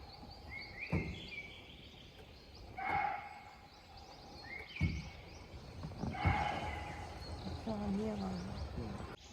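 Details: A barking deer in the sal forest of Sitabani zone, Jim Corbett National Park, India, gives short, sharp barks about every two seconds, an alarm call; such deer may call when startled by their own footsteps.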